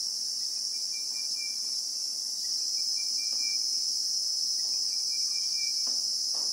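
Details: Continuous piercing buzz from a Christmas beetle (Anoplognathus) in South African bushveld, recorded in real time, staying level for the whole stretch, with faint short whistles recurring underneath and a few soft knocks.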